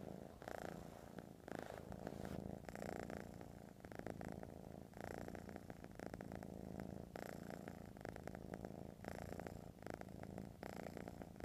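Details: A pet cat purrs continuously, a deep vibrating rumble rising and falling in steady rhythm with its breathing, roughly one cycle every second or two, nothing else heard.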